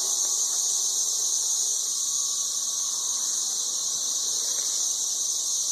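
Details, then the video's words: Ridiculously loud chorus of 13-year periodical cicadas in Nashville, Tennessee, recorded on an Android phone: a dense, unbroken high-pitched droning wall of sound with a shimmering steady pulse. "Ridiculously loud 13-year cicadas"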